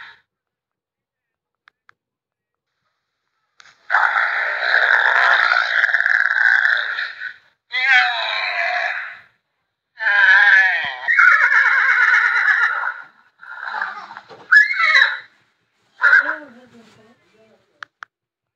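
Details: Horses calling in a series of animal sounds: long shrill whinnying bursts with quavering, wavering tone, several separate calls over about fourteen seconds, the last ones falling and fading.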